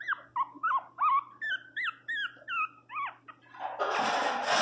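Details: Pinscher named Teco crying loudly indoors after receiving flea medicine; a series of high, bending whines rising and falling about every third of a second, ending in a harsh noisy burst.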